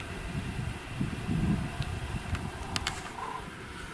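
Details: Low rumbling vehicle noise with a few brief clicks, and no animal voices. No animal sound stands out.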